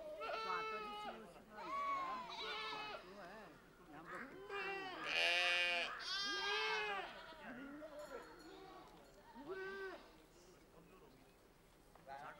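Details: Herd of Changthangi (Pashmina) goats mixed with sheep in the Himalaya, a breed from Tibet and Ladakh's Changthang: many overlapping quavering, harmonic-rich bleats, some rising and falling, coming in quick bursts with short gaps.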